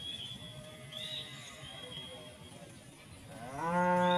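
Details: In harvested village rice fields where a large herd of tame cows feeds on rice straw, a cow lets out a deep, rising moo near the end, calling others over to feed.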